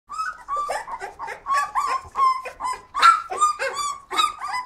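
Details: Flat-coated Retrievers giving rapid, high whining yelps and short barks, about two or three a second, with harmonic, slightly rising and falling tones in an indoor room.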